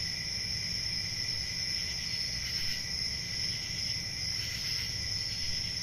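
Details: Summer-night crickets giving a continuous high-pitched shrill drone layered over a lower trill, brief brighter pulses rising through the chorus, with a faint low background hum.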